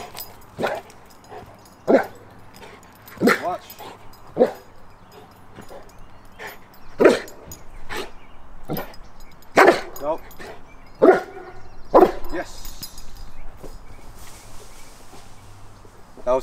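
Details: A male Cane Corso on day 3 of training to bark on command while facing forward, rewarded with his ball, gives deep single barks between a trainer's spoken instructions.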